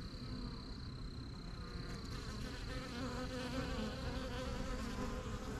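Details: Busy honey bees at their backyard hive, flying in and out of a new yellow box as they get used to the area; a continuous low droning buzz with shifting harmonics and a thin high steady tone early on.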